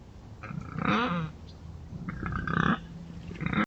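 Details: Wild boars scratching in the Forest of Dean make low, raspy grunts that rise into brief, buzzy squeals, in three or four irregular bursts with quiet rustling between.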